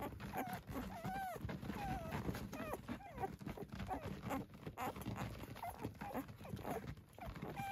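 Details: Six-day-old Dalmatian puppies at a farm in Acampo, California, making scattered thin squeaks and curling whines, some sliding upward, against a steady background of rustling and low movement noise.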